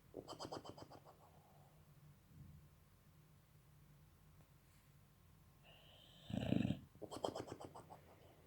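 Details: Sleeping German Boxer puppy snoring and puffing its cheeks: rasping pulsed snores at the start and end, with a loud, harsh snort in between and quiet breathing elsewhere.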